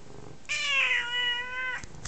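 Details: F2 Savannah cat, a 9-month-old female once half feral, crying for attention indoors: a single loud, steady, drawn-out meow over a second long with strong harmonics, falling slightly at the end, then a soft knock.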